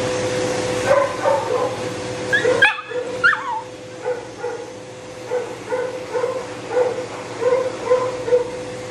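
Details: A Shih Tzu with matted fur and no tolerance for discomfort, whining through drying; a loud steady dryer drone, broken once, carries repeated short nasal whimpers with a few sharp higher yelps roughly every half second to second.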